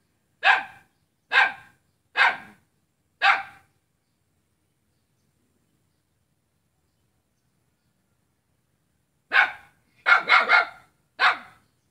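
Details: Domestic dog barking at its own neighbour on Jalan Kolonel Sugiono, Selat, Kapuas, Central Kalimantan, Indonesia, on Saturday 5 August 2017: four sharp barks about a second apart, a pause of six seconds, then a quicker burst of four more.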